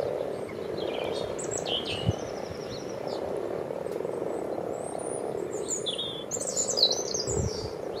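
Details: Frogs frolicking in a backyard wildlife pond, a pond dug 14 years earlier, keep up an unbroken low purring drone. Scattered bird chirps and whistles sound overhead, growing busier near the end, over a light wind rumble.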